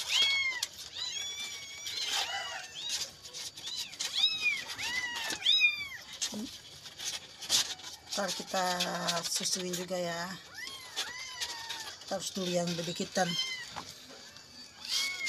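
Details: A trembling kitten that cried through the night looking for its mother: shrill, bending meows in quick bursts, broken by stretches of a man's low speech that overlap the cries in the second half.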